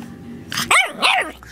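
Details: A puppy lets out two quick, high, arching yaps, the second slightly longer, over a low background murmur.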